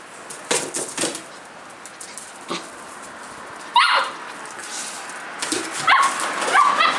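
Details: A collie puppy aged 57 days, recorded outside on 9 March 2012, lets out one high yelp midway, then a short burst of squeaky, wavering yips, with scattered thumps and scuffles.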